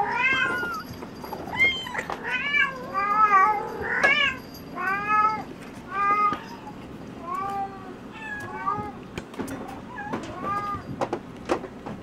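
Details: Bengal kitten siblings born 13 February 2015, crying for their mother instead of food: repeated high, bent meows about once a second, several voices overlapping, some calls long and quavering, others short and clipped.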